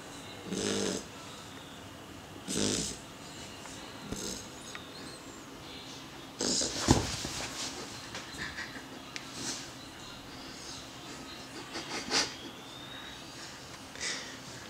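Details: A sleeping beagle snoring: rough, breathy snores in short bursts, several close together early on and then more spaced out, with quiet breathing noise between them.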